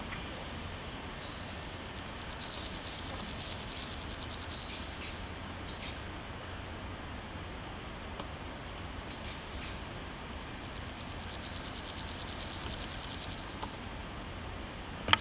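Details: In a grassy patch, a male naki-inago grasshopper stridulates by rubbing hind legs on its wings, repeating bursts of rapid high-pitched rasping pulses lasting a few seconds each, with short silences between and a few soft bird chirps.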